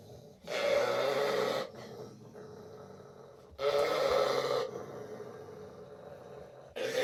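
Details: Springer Spaniel. Rough, throaty calls from a Springer Spaniel, each lasting about a second, come roughly every three seconds. Between them there is softer breathy noise.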